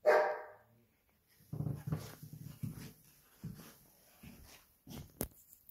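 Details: Xaia, a pet Belgian Malinois indoors in a small room, demands that her ball be thrown, something she does over and over daily: one sharp loud bark, then a series of low, rough grumbling vocal bursts with short pauses between them.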